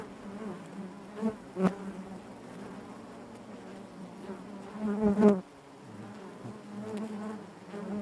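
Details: Honey bees in their hive keep up a low buzzing hum, with irregular swells and one strong close buzz just past the middle before the drone settles again.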